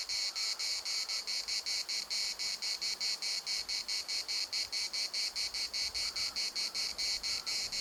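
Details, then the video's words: Cicadas singing in Larnaca's municipal park, a piercing pulsed buzz beating a little over twice per second, with faint brief tonal notes in the background. "CICADAS at the municipal Park Larnaca"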